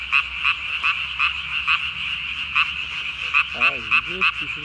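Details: Japanese tree frog calling after dark on 3 May 2020, vocal sac under the chin ballooned to match its body; loud staccato buzzy pulses repeated quickly, with brief lower warbling tones toward the end.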